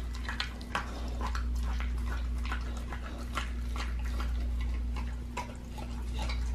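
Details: Pit bull eating a raw lamb leg, with sharp cracking bites and moist smacking in quick uneven succession, about three per second, and a constant low hum beneath.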